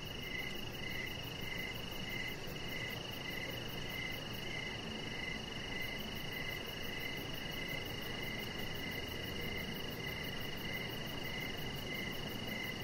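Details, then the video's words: Crickets chirping outside by a deck in the evening: rapid pulsed chirps repeating about every half second over a steady high ringing tone and a dense bed of low background hiss. "Chihuahua Puppy Laying On Deck with Cricket Sounds"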